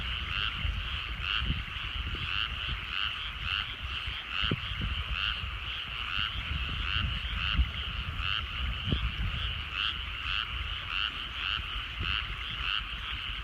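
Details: Many frogs calling from rice paddies in the countryside as the sun sets, a steady chorus of fast rattling croaks in regular throbbing pulses, with light low rumble and a few faint clicks.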